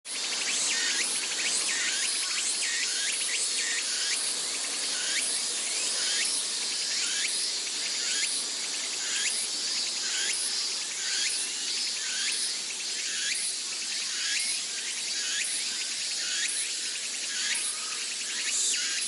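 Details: Summer cicadas in Sendai, Japan, heard from Atago Shrine: a dense, shrill chorus fills the air, with bright rising buzzy phrases repeated about once a second over a constant high hiss.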